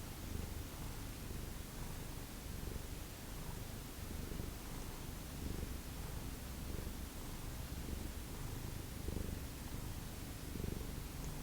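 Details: Steady rumbling purr from a domestic cat belonging to a family of rescued ferals, swelling and fading gently with each breath over about eleven seconds, no other clear sounds.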